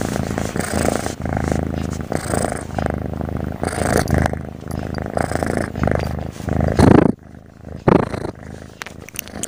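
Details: Sleeping domestic cat snoring on and on; steady low rumbling purr-like breathing for about seven seconds, then a quieter stretch with a brief louder burst.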